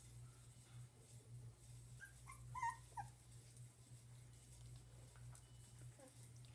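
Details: One-month-old dachshund puppies giving a few thin, high whines, clustered around the middle, over a constant low electrical hum.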